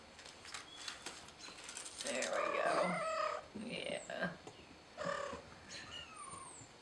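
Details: Kitten calling for help: a long, strained, harmonic-rich meow over about a second, then shorter, sharper mews repeated at intervals, with thin high chirps from birds and faint background voices.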